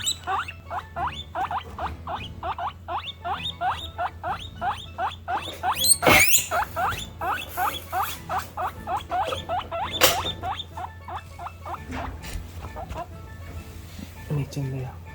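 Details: Female pet guinea pigs of Peruvian, English and Teddy breeds calling out their feelings: a long train of quick, evenly spaced rising squeaks, broken by a sharp clatter near the middle and another knock later, trailing off at the end.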